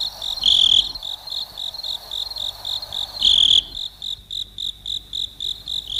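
A cricket chirps in quick, high, pulsing bursts, with two longer, louder trills.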